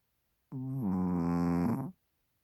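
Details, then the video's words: Chihuahua Hodu snoozing on a microfiber blanket, tongue peeking out; a single drawn-out, humming nasal snore of about one and a half seconds, steady in pitch after a slight step at the start, with silence around it. "Snoring Chihuahua 코 고는 치와와 호두"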